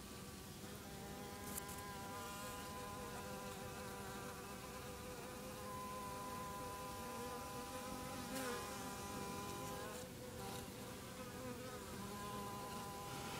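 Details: Bees at their hive around 8am in the early morning, a dense steady drone of many wingbeats with layered humming tones and a few short sharp clicks scattered through.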